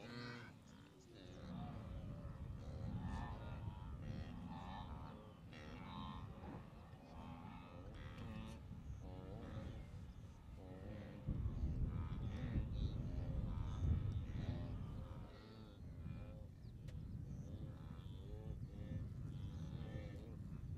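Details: Great Migration wildebeest gathered as far as the eye can see at Moru Kopjes, western Serengeti, observed 7 April 2012; a continuous chorus of deep, buzzy grunts from many animals layered over low-frequency rumble.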